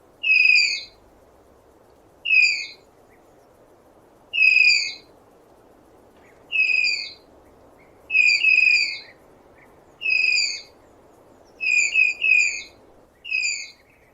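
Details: Series of sharp, high tapir whistles, short descending squeals spaced about two seconds apart, a few doubled, with steady faint background noise throughout.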